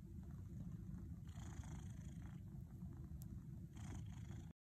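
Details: Domestic cat purring while kneading, making biscuits in its teepee; a soft, steady low rumble runs throughout, with faint rustling bursts from the kneading.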